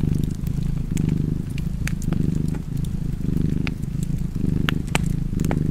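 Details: Cat purring by a fireplace in a deep, even rumble with around five breath swells, accompanied by popping and crackling from the fire.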